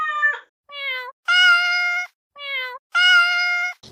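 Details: Cat meows gathered to attract a listening cat: short falling mews alternate with two long, level, loud meows, each lasting nearly a second, in a clean quiet recording.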